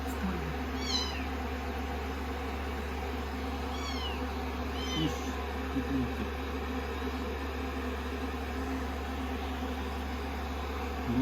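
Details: Rescued kittens, day 16 of a growth record, cuddling on a lap while being blow-dried after a shampoo; three brief, thin, high rising-falling mews spaced a few seconds apart over a steady dryer hum.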